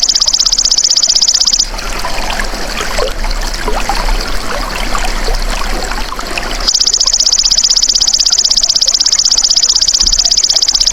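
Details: High, rattling insect buzz of a golden grasshopper, rapid regular pulses, breaks off before two seconds. About five seconds of watery, rustling ambience follow before the trill resumes and continues to the end.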